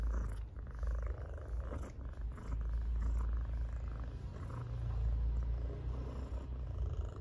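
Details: Pet cat purring loudly as it is stroked; continuous deep rumble with rhythmic inhale-exhale cycles, fairly even in loudness throughout, plus soft handling noise.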